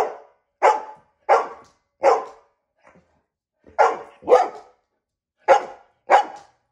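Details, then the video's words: Repeated loud dog barks, about eight sharp bursts spaced roughly half a second to a second apart, with one short pause midway, in a small indoor room. "Dog barks"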